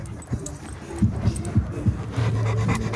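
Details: Boerboel (South African Mastiff) at an Egyptian Kennel Federation dog show in Egypt; low, rhythmic panting pulses about every third of a second, over steady background music and crowd hum.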